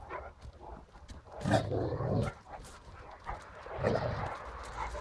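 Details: A Great Dane gives two deep, short barks roughly two and a half seconds apart, with low rumbling noise and softer sounds between them.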